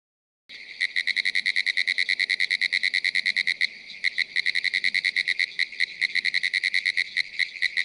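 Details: Pinewoods treefrogs (Hyla femoralis) calling from young pines on a small pond edge in the Ocala National Forest, Florida: rapid, regular rattling pulses repeated about twice per second, steady throughout after a brief silent start.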